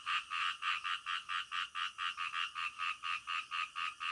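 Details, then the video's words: Frogs calling in the middle of the night, a peaceful natural scene; evenly spaced buzzy croaks roughly twice a second, strong and rhythmic, over a soft high background hiss. "SUARA KODOK DITENGAH MALAM"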